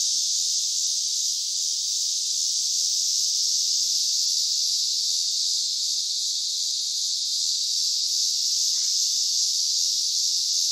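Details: Loud cicadas: an unbroken, intense high-pitched buzzing drone that holds steady from start to finish, with a faint low hum underneath.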